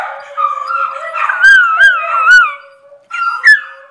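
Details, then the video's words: Pet miniature Schnauzer Maya howls in a long wavering tone with bright overtones, pausing in hiccups and finishing with a short rising yelp; another dog holds a low continuous howl throughout. "Howling Schnauzer"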